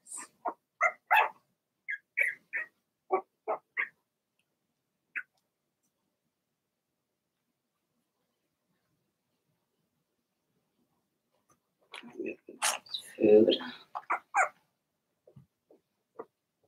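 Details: Cavalier King Charles Spaniel puppies, Blenheim littermates in an indoor puppy pen, giving a quick run of sharp yaps, then a long silence before a scattered burst of mixed yips and squeaky whines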